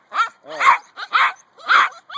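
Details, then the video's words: Two-month-old Husky puppies, awake early in the morning, give short, sharp yips and barking whines in four separated bursts about half a second apart. They are eager and jealous while being picked up. "Husky Morning wake up call"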